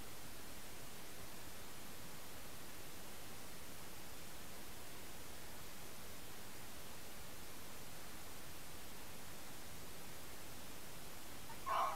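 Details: Only a constant hiss is heard, with a brief faint click at the very end and no animal call.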